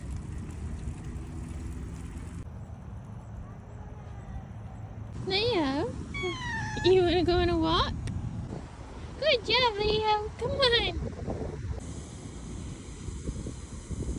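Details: Ragdoll cat named Leo meowing on a leash during an outdoor bike ride in autumn; several drawn-out, wavering meows in quick bursts, mixed with a woman's speech and bike and traffic noise.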